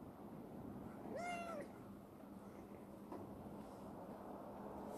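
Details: A young female black rescued stray cat, Chibikuro, once wary and now very affectionate, living in a warehouse: one clear meow about half a second long, rising slightly then falling, over a steady low hum and quiet background.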